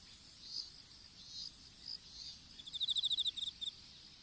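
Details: Insect chorus in an outdoor strawberry field at seedling-planting time, recorded on a smartphone lying on the ground: a constant shrill high whine, soft chirps, then a quick burst of a dozen sharp pulses fading out in short groups.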